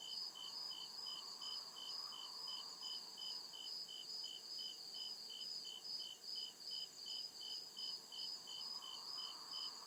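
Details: In a forest after dark, crickets keep up quick, rhythmic high chirps, near two to three a second, against a steady shrill background hum and soft lower swells.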